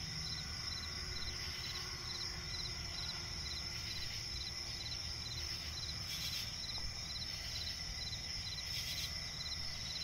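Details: Night forest and swamp ambience: crickets produce a continuous shrill trill and repeated short chirp pulses, with a faint low drone, two short noise bursts and steady low rumble.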